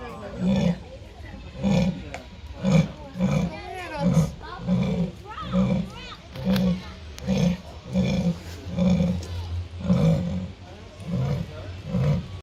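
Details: Jaguar in Artis zoo producing a long rhythmic run of deep, sawing grunts, roughly sixteen in twelve seconds, evenly spaced; visitors' voices rise faintly in between.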